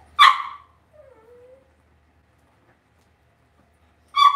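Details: In a home puppy pen, Cavalier King Charles Spaniel puppies give a loud, sharp yip, then a faint, thin falling whimper, and after a pause of nearly three seconds another abrupt yip.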